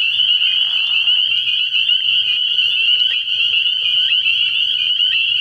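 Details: Spring peepers calling together at a frog pond at night in early spring, a dense, unbroken wall of high, shrill peeps with overlapping pulses throughout, plus a faint low hum underneath.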